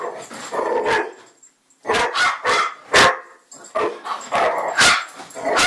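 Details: Loud, sharp dog barks come in uneven clusters. A brief silence is followed by a renewed series of strong, abrupt barks with little other sound.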